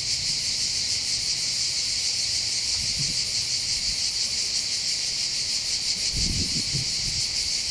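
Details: Summer cicada chorus over the port of Bandol in the Var, southern France: loud, steady high buzzing with rapid pulsation throughout, plus brief low rustles or thumps around the third and sixth seconds.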